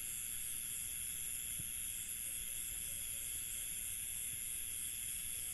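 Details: A dense night chorus of crickets in an Indian village, a steady high-pitched shimmering trill that never pauses.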